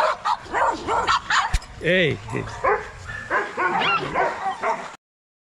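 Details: Young Rottweilers in an exercise yard at a kennel: a jumble of short, overlapping barks and yips, with one rising-and-falling whine in the middle, a sharp click, then sudden silence near the end.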